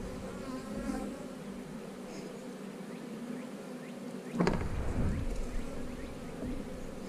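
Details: Honey bees at an eight-frame hive make a steady low droning hum with faint higher overtones. A dull thump near the middle is followed by a few seconds of louder, rougher buzzing.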